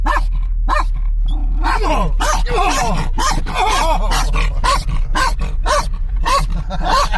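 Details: Tense encounter between a Kangal cross and a Kangal dog in a moving car, with rapid, overlapping barks and drawn-out whining or growling tones between them, all over constant low car rumble.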